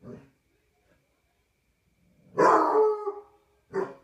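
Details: Barney, a Basset Hound, howling at night on a patio: after a faint start and a pause, a loud drawn-out baying howl of about a second, then a shorter bark-like bay.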